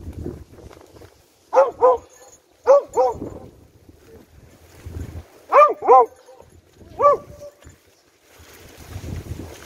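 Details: Beagle in rescue dog training, searching for three victims, two of them out of its reach, gives seven sharp, tonal barks, mostly in quick doubled pairs separated by quiet pauses, with soft rustling and low outdoor rumble between.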